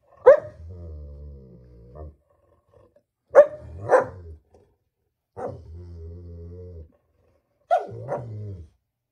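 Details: German Shepherd dog indoors giving four sharp barks, each stretching into a long, level, drawn-out vocal tone of one to two seconds, with short silent gaps between them.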